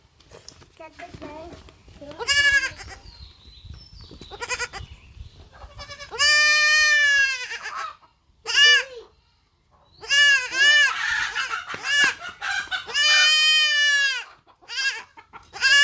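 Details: Castrated goat kid bleats repeatedly, with loud wavering cries lasting up to a second at irregular intervals, mixed with several people talking in the background.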